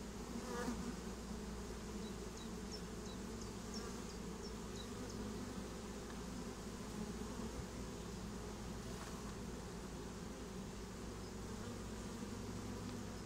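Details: Swarm of honeybees settling into a new home, recorded as pure nature sound with no human speech: a dense, steady low hum of many wings throughout, with faint high ticking sounds scattered through the first seconds.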